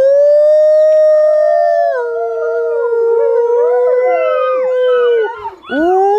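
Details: Several Volga Wolfhound puppies at day 55 singing around feeding time: a long steady howl holds level, then overlapping voices join with wavering, rising and falling wails that dip and swoop near the end.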